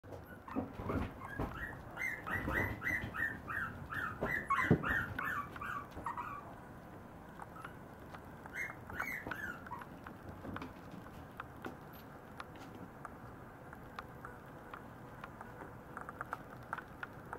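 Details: Maltese puppies aged 49 to 53 days, indoors; high thin whimpers and yelps in bursts during the first ten seconds, some rising then falling, followed by quieter scattered squeaks and faint clicks.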